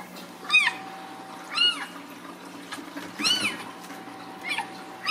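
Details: Ragdoll kittens born and raised uncaged in a home cattery in central Kansas: five high, arched meows, each rising then falling, spaced about a second apart over a steady low electrical hum.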